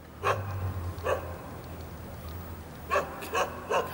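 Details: Rooftop Jindo dog in Jeonju, Korea, greeting visitors: short barks, two early, then a quick cluster of three to four, over a low steady hum.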